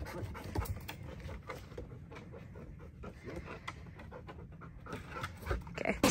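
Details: A male Bernese mountain dog on his first hike pants in quick, breathy bursts, steady and fairly soft, with a few louder thumps and brief outdoor noise toward the end.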